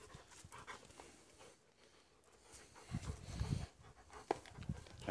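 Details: Leo, a playful 1-year-2-month-old male German Shepherd, pants heavily, then gives a few low, gruff huffs and short bursts.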